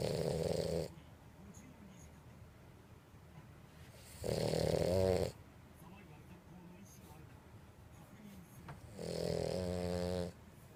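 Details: Purin, a two-year-old female French Bulldog, snoring indoors: three loud, rasping, buzzy snore bursts, each about a second long, spaced roughly four seconds apart, with quiet breathing between.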